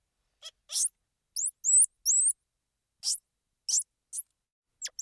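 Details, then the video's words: Squirrel monkey calls: about ten sharp, very high squeaks and hooked rising chirps, scattered irregularly across a few seconds with quiet gaps between them. No other sounds. "Squirrel Monkey Sound"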